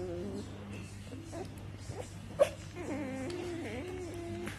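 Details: Australian Shepherd puppies from a litter of seven males born on 4 March 2018, giving thin, wavering whimpers and whines that rise and dip in pitch, with a short sharp squeak midway and a steady low hum underneath.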